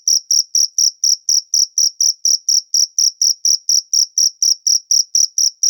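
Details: Natural cricket sound: a shrill, even train of short chirps at a steady pace of about four each second, clean and uninterrupted.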